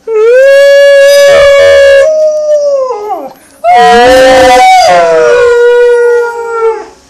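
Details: Alaskan Malamute at home joining two people in a howl: two long, steady, mid-pitched howls with rich overtones, the first held about three seconds, a brief break, then a second sliding slightly lower before fading. People talk briefly afterwards.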